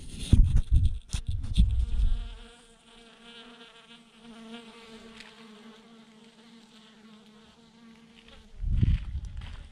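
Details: A honey bee swarm clumped by the thousands on a branch gives a continuous, even hum of many wingbeats. Heavy low-pitched bumps and rumbles come at the start and again near the end.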